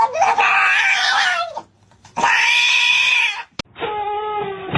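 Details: Cat crying in two long, loud, strained meows, each over a second, followed by a shorter lower wail; indoors, no other clear sounds.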